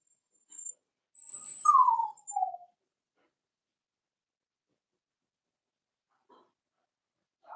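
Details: A Cavalier King Charles Spaniel puppy, four weeks old, in a home puppy pen while being socialized with other dogs. It gives one drawn-out falling whine that slides downward, then a shorter, lower whimper, with a thin high squeak above and near silence afterward.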